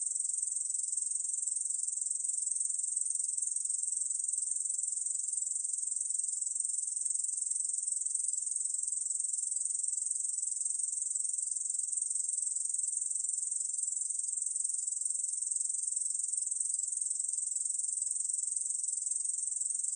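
A Korean bush cricket sings a steady, high, hissing buzz that runs on without a break.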